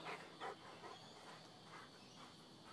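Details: Two pet Rhodesian Ridgebacks at play give two short, gruff bark-like bursts in the first half second, followed by softer, fainter grumbling sounds over a quiet background.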